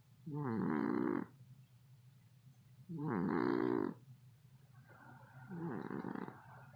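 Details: Domestic male cat asleep and snoring loudly: three rough, rattling, buzzy snores, each about a second long, spaced roughly two and a half seconds apart, the last one softer, with quiet room hush between.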